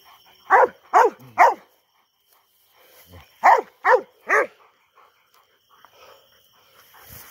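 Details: Two Rottweilers coming down a tower; sharp, loud barks in two bursts of three, evenly spaced about half a second apart, separated by a short quiet gap, with a faint steady background hum.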